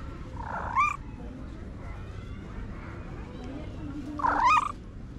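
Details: Stray cat acting like a tiny baby gives two short, rising-then-falling meows about three and a half seconds apart, with quiet human talk and low background hum between them.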